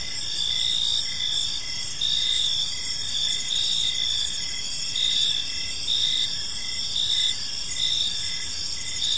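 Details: Park crickets at evening, several callers producing a constant high ringing trill with rhythmic chirp bursts roughly every second, faint distant rumble below.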